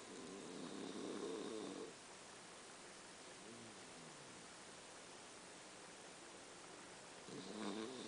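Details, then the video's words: A sleeping puppy snoring: two rough, raspy breaths about six seconds apart, with quiet faint wheezy breathing between them, over a steady background hiss. "SNORING PUPPY"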